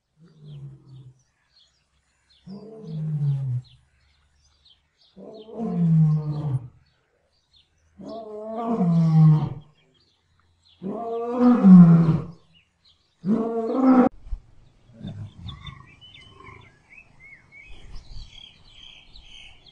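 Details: Lion roaring in the setting of a lion and lioness mating: a series of about six deep, moaning roars, each lasting roughly a second, swelling louder and longer, then tapering into softer grunts, with faint birdsong near the end.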